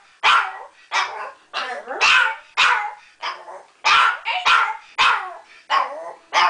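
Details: Pet dog singing along to a harmonica tune, Wildwood Flower; loud, drawn-out yowling barks with wavering, sliding tones, about ten bursts in quick succession.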